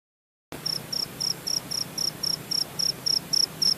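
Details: Javanese cricket chirping in Purworejo, Central Java, Indonesia: after a brief silence, high, thin pulsed chirps repeat steadily about four times a second over faint background hiss.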